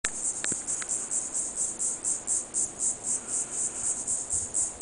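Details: Diceroprocta viridifascia cicadas calling in a pine grove on Pine Island, southwest Florida, under hot sun; a high buzzing pulsed roughly four times a second, steady throughout, with a few faint clicks early on.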